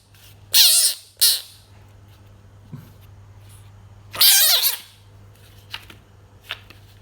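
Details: Pet frog giving harsh, noisy squawks: two quick bursts close together, a longer one after a pause, then faint clicks and short high ticks in a quiet indoor room with a low steady hum.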